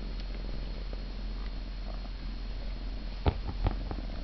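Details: Siamese cat purring, recorded 26 November; continuous low rumble with soft pulses, plus two sharp clicks or taps near the end.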